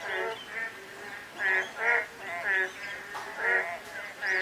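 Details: Frogs calling on a day of light drizzle: a dense chorus of nasal, harmonic croaks swelling and fading in overlapping bursts roughly every half second, with a steady soft hiss of rain underneath.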